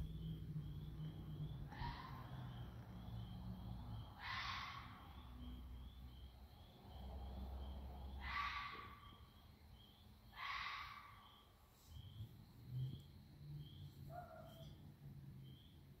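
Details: Neighbourhood red foxes out at night give harsh, raspy screeching calls at irregular intervals over a low rumble.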